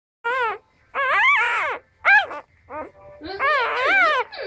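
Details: Four-day-old Cardigan Welsh Corgi puppy trying hard to get milk, giving high, wavering whimpering cries in separate bursts, each rising and falling in pitch, with short pauses between them indoors.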